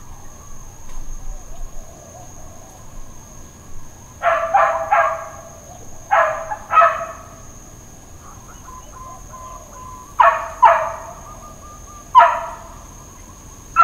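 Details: Dogs barking intermittently at Hawaiian Paradise Park, Hawaii, on Labor Day, September 2, 2024: bursts of harsh, broadband barks, a quick cluster near four seconds and then single or paired barks every few seconds, over a steady background hum.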